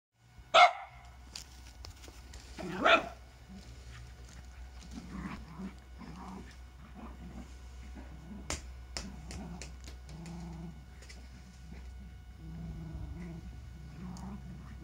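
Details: Two Lakeland terriers, Holly and Ville, playing together in summer heat; two sharp, loud barks about two seconds apart open the clip, followed by softer scuffling and rustling of play.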